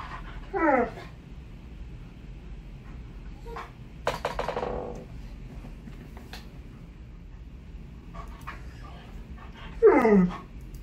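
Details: Alaskan Malamute, impatient over a gift exchange box, gives three short, bright whines that sweep sharply downward, spaced several seconds apart, with quiet indoor rustling and a soft hiss between them.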